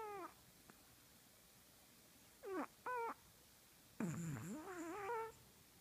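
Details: A sleeping Chihuahua dreaming indoors gives high, falling whimpers. First one short cry, then a quick pair of squeaky yelps. Last comes a longer wavering whine that dips low and rises again, over a steady quiet hiss.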